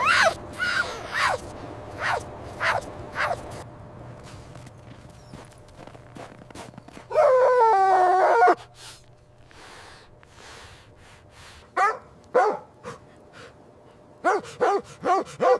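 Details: Mother dog and puppies at play outdoors in fresh snow in winter: scattered short barks early on, then one drawn-out wavering yelp, a quiet stretch, and a final cluster of quick yappy barks.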